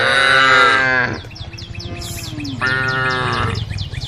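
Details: Tame cows of a herd called along a road; a loud harmonic moo opens, then a quieter gap with low hum and rapid high ticking, and a second moo rises near the end.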